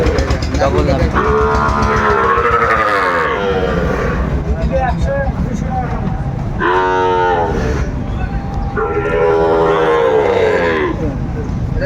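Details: Sahiwal bull at a Brahmanbaria cattle market, 31 May 2024, mooing three times, each call a few seconds long, wavering and falling in pitch, separated by gaps, amid loud market chatter and speech.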